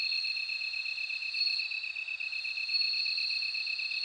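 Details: Bell cricket chirring as two high, sustained ringing tones, one above the other, with a gently fluctuating shimmer. The steady insect sound carries no other noises.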